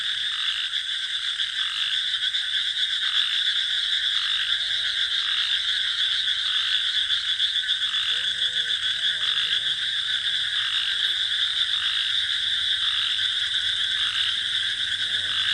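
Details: Night chorus of frogs and crickets over a paddy field, a continuous shrill buzzing wall with regular pulses about every half second and a few brief twangy croaks near the middle.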